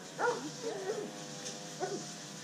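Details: Pablo Pinto, an undersocialized rescue Rottweiler Catahoula Leopard Dog mix from the Redlands area of South Florida who is fearful of people, gives three short whining yelps with sliding tones over a steady background hum.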